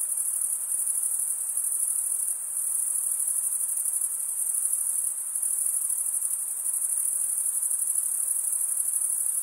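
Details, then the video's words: Stridulating male crickets, wing rubbed over toothed wing vein, fill the recording with a piercing steady trill with faint rhythmic pulsing and brief small dips in volume. "cricket sound"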